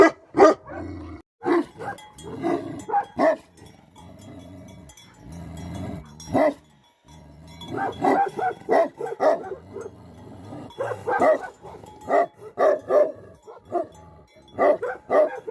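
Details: Himalayan livestock guardian dogs of the Tibetan Mastiff breed, known in Nepal as Bhote Kukur, barking in uneven bursts, some rapid clusters and a few single woofs, while a faint bell rings in the background.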